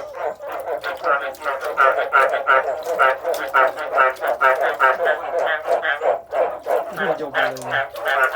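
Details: Loud, rhythmic frog croaking, a string of harsh, nasal pulses close together and almost three per second, with a short low droning note near the end.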